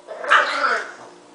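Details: Single loud, drawn-out bark from a dog named Marshall, right after a woman asks if he is mad at mommy.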